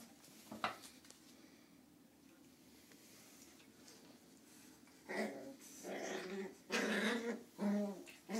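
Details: Lhasa Apso puppies, nine weeks old, at play: a near-silent start with one sharp knock, then a cluster of gruff growls and snarly yaps builds up during the last three seconds.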